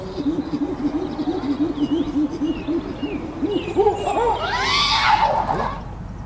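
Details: Angry adult male chimpanzee at Chester Zoo's Chimp Island, screaming in a display to get the troop's attention; a fast run of low hoots swells and climbs into shrill, rising screams near the end.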